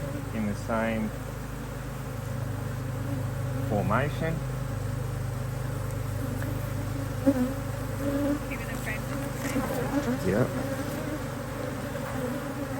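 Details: Honey bees at an Australian-designed HiveIQ beehive in Australia, almost mid-autumn 2023, during fine weather, as the hive is opened to add another box of empty frames. Steady low droning hum with bees swooping past, plus brief human voices.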